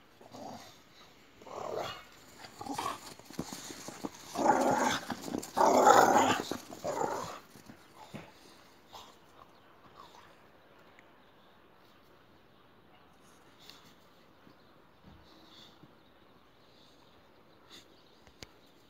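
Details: Boxer dogs playing chase give rough, breathy growls and huffs in bursts over the first seven seconds, loudest midway, then the scene falls nearly silent apart from faint scuffs and soft sounds.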